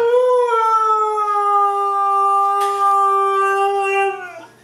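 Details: A female Siberian Husky gives a drawn-out vocal morning greeting: a sustained howl of over four seconds that lifts slightly at the start, holds level, then drops away at the end. Someone repeats good morning and praises her.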